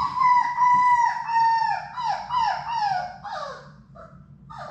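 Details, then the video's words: Labrador Retriever puppies, six of Sadie's litter, in their indoor play room: one pup gives a loud, drawn-out whining cry in a sequence of falling, slurred notes, repeated about every second, then shorter yelps, over a steady low hum. "Labrador puppies at play!"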